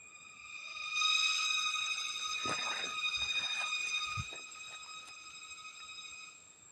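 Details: Crickets in the wild rainforest of Papua keep up a steady, ringing drone at dusk, with a few soft knocks and rustles underneath.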